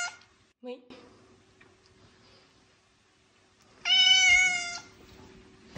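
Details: House cat producing one loud, sustained meow of nearly a second, rich in harmonics, after a brief murmured word from a person in a quiet room.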